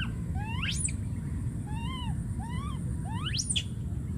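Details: Wild baby monkey calling for his friend: arched, whiny cries with bright overtones, plus two sharp scream sweeps rising steeply to a high squeal, over steady low rumbling background noise.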